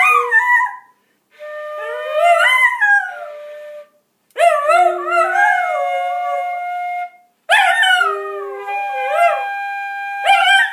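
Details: A dog howls along as it "sings" scales, in long, wavering, sliding notes alongside steady musical tones.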